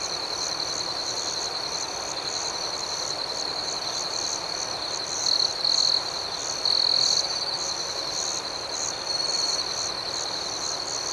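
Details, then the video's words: Night crickets sing in an unbroken, shrill buzzing trill, rapid chirps pulsing over a steady tone, a few louder chirps rising briefly near the middle. "Soothing Cricket Sounds"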